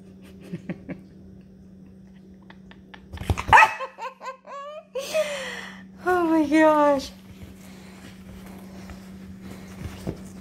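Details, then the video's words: Nugget, a six-year-old Yorkshire Terrier indoors, talks back after his bath with drawn-out whiny yowls that bend up and down, in bursts around the middle and again later. A person's voice comes early, over a steady low hum. "Yorkie Talking Back After A Bath"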